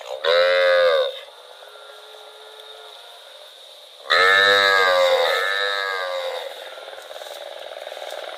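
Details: Loud, rich moo from a cow wandering through rural rice fields, followed after about three seconds by a second long moo that trails off into a fading, wavering tail, with a steady background hum throughout.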